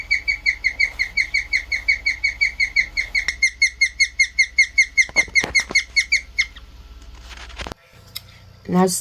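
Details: A pet guinea pig gives a rare chirp, heard for the first time in over a year: a fast, steady run of bird-like notes, about two or three each second. Why guinea pigs chirp is unknown; stress is one theory.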